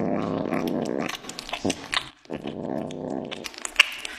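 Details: A cat eating meat, described as very crazy at mealtime, lets out low, rough, rumbling growls in two long bouts separated by a brief pause, with chewing and clicking noises indoors.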